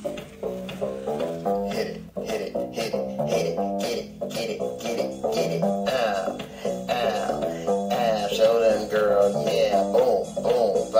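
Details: Plucked string music, banjo or guitar, plays throughout with rhythmic picked notes, and no animal sounds.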